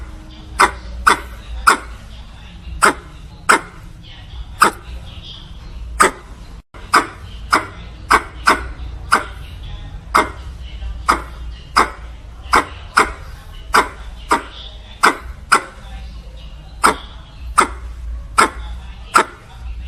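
A squirrel gives sharp, clipped chips repeated roughly twice a second, calling to a mate.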